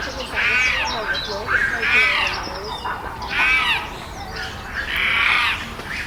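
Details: Chimpanzees on Chester Zoo's Chimp Island, noisy amid tensions after a new baby's arrival while alpha male Carlos controls the group; loud arched, harmonic screams rise and fall in four long bursts over a steady background hum.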